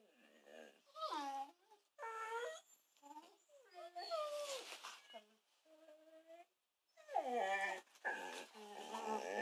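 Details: A kelpie and a kelpie-labrador cross, kept as pets, crying out early in the morning to rouse their owners: bursts of rising and falling whines and yelps, a steady held whine near the middle, then a louder cluster of excited cries.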